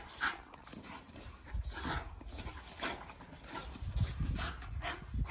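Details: Ragnar and Kodi, a pair of Miniature Bull Terriers, wrestle playfully; brief low grumbles and snuffling breaths come in uneven bursts, with a few sharper huffs amid scuffling movement.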